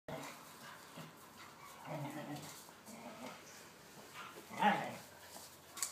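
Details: Two pet whippets, Blu and Digz, playing chase in a garden: faint whining and a single short, louder yelp near the end, over steady outdoor background noise.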